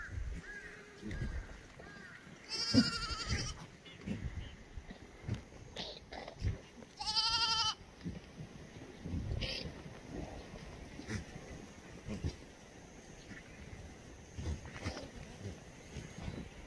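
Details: Black goats roaming free in a farm yard below Muchuksan near Gimhae, South Korea, sunny Tuesday morning, 7 July 2020: two loud, quavering bleats early and midway, a fainter short one later, amid shuffling hooves and dull thuds.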